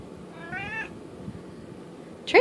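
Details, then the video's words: Indoor domestic cat asking for treats with a single short meow, its tone fairly level and under half a second long, followed by a sharp knock or clatter near the end. "Talking cat--Merlin wants his treats"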